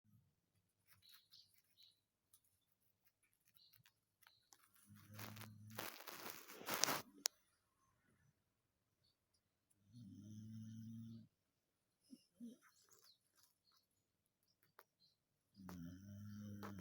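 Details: Dachshund Django snoring while dreaming indoors: low, buzzy, harmonic snores lasting about a second each, returning roughly every five seconds, with a loud rustling burst between the first two snores.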